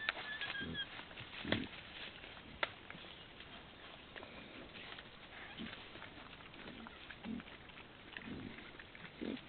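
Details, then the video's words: Wild boar in summer, giving short, low, rough grunts spaced a second or two apart over a constant hiss of outdoor background noise, with a few sharp clicks. "wild boar in summer-diviaky v lete(Sus scrofa)"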